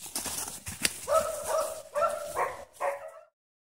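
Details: Dogs running in a private dog park; one dog gives four or five harmonic barks about every half second after a person's short urging, with scuffling and footfall noise before them.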